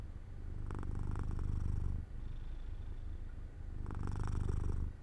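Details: Jojo, a domestic cat, purring near an open window while falling asleep in the sun; a deep rumbling purr with two louder, raspier inhale phases about three seconds apart.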